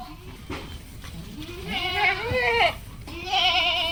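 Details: Goat on a farm on a Padma River char in rural Bangladesh: wavering, quavering bleats rising and falling, one long cry and a second starting near the end, with a person talking underneath.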